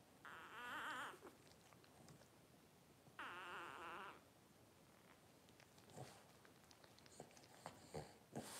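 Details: Newborn blenheim Cavalier King Charles Spaniel litter, five pups twelve days old, parents Paris and Spike. Two drawn-out, wavering crying wails of about a second each, then scattered soft squeaks and rustling handling noises.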